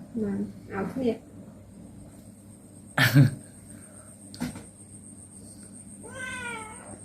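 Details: Pet cats at play indoors with a woman; a woman's voice and a couple of sharp thumps come first, then one drawn-out, wavering meow near the end.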